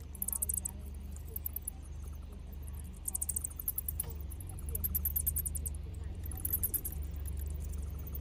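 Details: Bats streaming out of a cave at dusk to feed, giving dense trains of very high, rapid ticking squeaks that come in bursts, over a steady low rumble of background noise.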